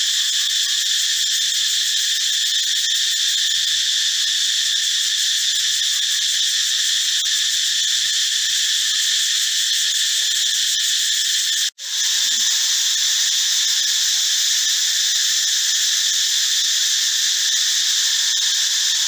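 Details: A cicada, possibly a male Meimuna opalifera or Pompania sp., drones in the forest with a loud, steady, high-pitched buzz that barely wavers.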